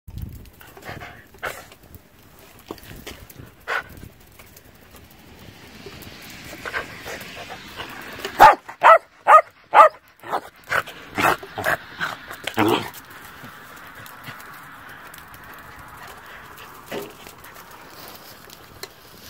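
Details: Old female Shetland Sheepdog (Sheltie Collie) on a farm in falling snow, barking to get someone to come play: scattered single barks, then a rapid burst of sharp barks around the middle, fading to quiet, soft wind-like background.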